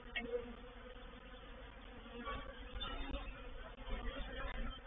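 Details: Honey bee reproductive swarm moving into a bait hive, or swarm trap, recorded 04/07/21. A low, steady droning hum holds throughout, with a few brief, louder rustling swells.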